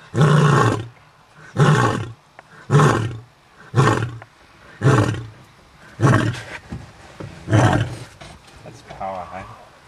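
A white lion gives a series of deep, rumbling roars, each lasting under a second and repeated about once a second.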